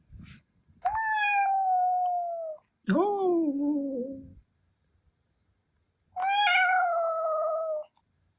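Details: Milky, a male Ragdoll cat angered when his meow is imitated, lets out three long tonal howls of one to two seconds each, the middle one lower and falling, the others steady, with quiet gaps between.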